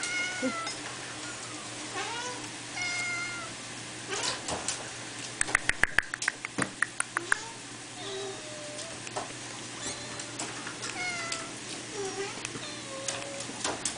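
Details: Fawn Abyssinian kitten sisters at three weeks old mewing repeatedly: high, thin, wavering calls, some rising and some falling, scattered through the recording, with a burst of sharp clicking knocks near the middle and a steady low hum.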